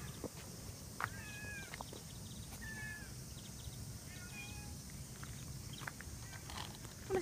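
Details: Striped stray cat that comes up during a walk with a Siberian Husky, several short high meows in the first half, then quieter sounds, over outdoor background noise and faint French speech.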